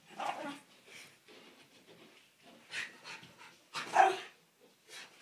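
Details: A Miniature Schnauzer gives sharp, harsh barks in uneven bursts, with quieter sounds between, going after a window cleaner.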